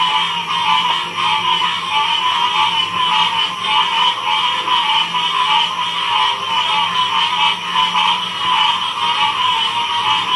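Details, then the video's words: Dense frog chorus recorded in 2016 at Ocean Springs, Mississippi: a continuous, pulsing wall of overlapping trills and clicks with no single caller standing out, steady throughout. "Frogs chorus ratural sound"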